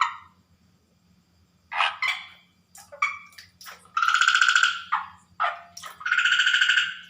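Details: At night, water frogs give loud, nasal, rattling croaks in irregular bursts over a steady low hum.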